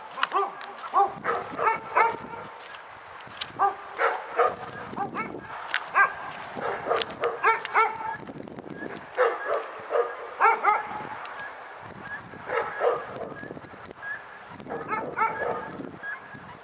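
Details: Dog barking persistently in bursts of sharp, harmonic barks, several per second, with short pauses between volleys across the whole stretch; faint background murmur underneath.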